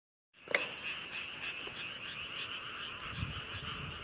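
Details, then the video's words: Frogs chorusing near the UNESCO-listed tomb of King Sejong, South Korea, heard on a commute home: a dense, continuous trilling chorus of rapid pulsed croaks, steady throughout, with a faint high hum. "개굴개굴 개구리"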